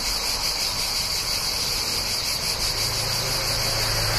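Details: Cicadas near a town in summer fill the air with a steady, shrill, high-pitched buzz, with a low rumble of passing cars.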